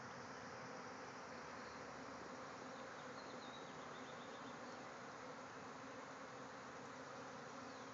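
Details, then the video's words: A bee swarm emerging from a hive in a backyard, thousands of insects in flight; continuous thick droning hum, even in loudness throughout, with no other clear sounds. "Bees swarming out of a hive"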